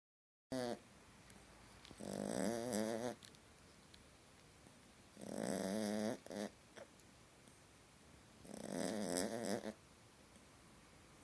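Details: Small dog asleep and snoring through a nightmare: three long, raspy, droning snore bouts, each about a second long with a wavering harmonic buzz, separated by quiet breathing gaps.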